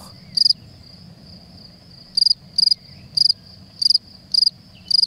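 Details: A male field cricket (Gryllus campestris) at his burrow in Creuse countryside grass in spring gives loud, pure chirps of three or four quick pulses about every half second to second, rubbing his forewings, the burrow amplifying the song.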